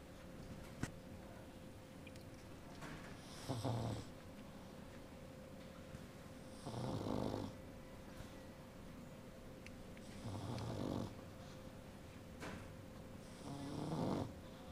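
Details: Snoring from an adult female pug, with her 16-day-old puppy dreaming close by. Soft, low, grumbling snores sound about every three to four seconds against a steady background hum.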